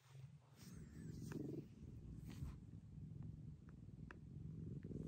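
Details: Maroshiro, a rescued house cat acting affectionate like a kitten again after moving to a second-floor cat room, purrs in a low, pulsing rumble, with faint rustling and a few soft ticks.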